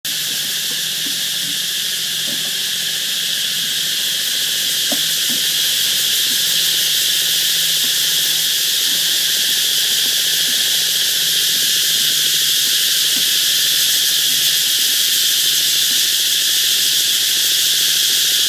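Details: Cicadas by a canal in the Mekong Delta: a loud, continuous, hissing high-pitched drone that fills the whole recording and swells slightly, with faint soft clicks and ticks beneath.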